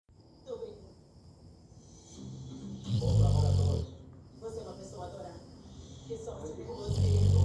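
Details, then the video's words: Labrador Retriever snoring: two loud, deep rasping snores swell and fade about four seconds apart, with softer breathing between them and a person talking quietly in the background. "Labrador roncando!!"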